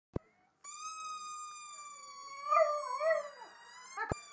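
A Jack Russell Terrier puppy gives a thin, high, wavering howl over a steady squeaky tone.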